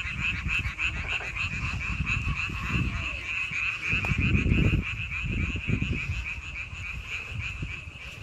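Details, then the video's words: Frogs in May croaking as a chorus, a quick pulsing trill carrying on steadily beneath low rumbling bursts of wind or handling noise. "5월 개구리 소리."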